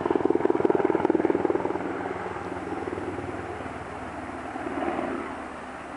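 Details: Pulsing, rapid engine-like throbbing that fades into a steady mechanical rumble, with no animal voice.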